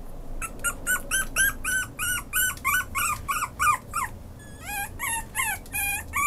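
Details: Maltese–Chihuahua mix dog giving a rapid series of high, thin whimpering yelps, about three per second, each short and slightly bent in pitch with bright overtones, in a small quiet room with faint background hum.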